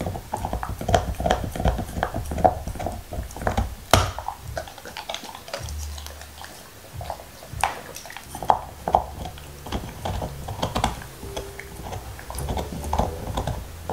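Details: Nixon, a black Labrador Retriever, gnaws his favorite beef bone indoors with no talking: wet crunching, licking and scattered sharp clicks and cracks come in uneven bursts over a low room rumble.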